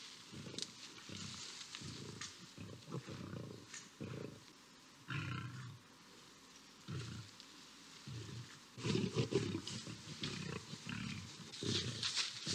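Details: Lions locked in a fight on a grass field in Botswana, a lioness intervening; low, choppy growls and snarls in short irregular bursts, subdued at first, then louder and denser toward the end.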